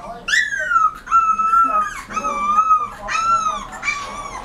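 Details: Rottweiler puppy whimpering: a run of four high, drawn-out whines, each starting sharply, holding a steady tone, then sagging slightly in pitch. No barks, and the background is quiet.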